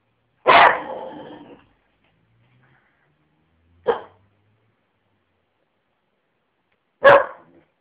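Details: Lenny, a pet dog, barks three times: a longer, rough first bark, then two short sharp barks about three seconds apart, with silence between them.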